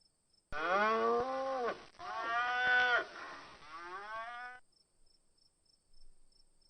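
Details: Cow in a children's lesson on farm animals, named with its calf: three long lowing moos, each a rich harmonic bellow that swells then falls, the last softer and shorter, with quiet gaps between.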